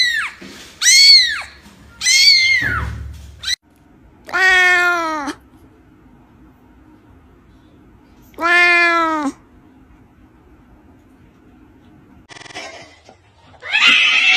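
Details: Several short high kitten mews open the sequence, then two longer, lower, drawn-out meows spaced a few seconds apart, separated by quiet stretches, with a brief rough noisy burst near the end.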